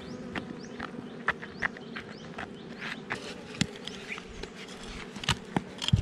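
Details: Wild honey bees at a hive under rocks in a forest, disturbed during honey collection: a steady low buzzing hum of many bees, with scattered knocks and clatter from work nearby.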